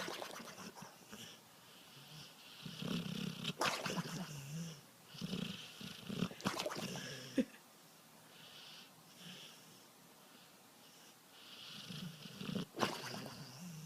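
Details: Snoring dog, sounding like a man: a run of raspy, snorting breaths with low rumbling and airy hiss, coming in irregular bursts over several seconds, with soft pauses between them.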